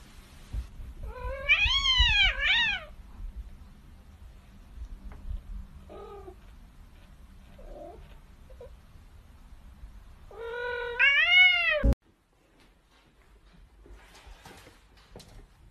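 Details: Domestic cat giving drawn-out wavering meows, a long rising-falling yowl near the start and another near the end, with a few short quieter mews between, indoors before the sound abruptly cuts off.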